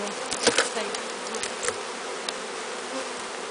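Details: A bee swarm being hived, walked into a new hive after capture from a large tree, makes a loud, even buzzing hum with a few quick knocks early on.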